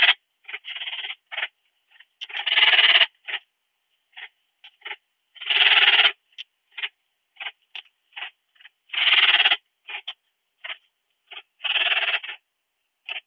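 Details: Ringed bush-cricket (Rhacocleis annulata), Biedermannsdorf, Austria, 8 August 2022, via Pettersson D 100 ultrasound detector: dense, irregular sequence of long buzzy pulsed bursts mixed with many brief scratchy chirps, almost four per second, continuing throughout.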